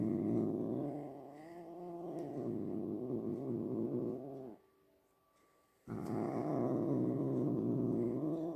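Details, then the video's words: Pet cat making low, rough, growling sounds: a steady harmonic rumble with wavering pitch for about four and a half seconds, a short silent gap, then the same throaty drone resuming. "My cat making sounds"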